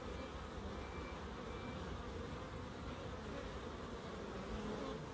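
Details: Steady buzzing drone of bees in a small Crookes wildlife garden, a dense low hum with a faint thin tone briefly audible above it.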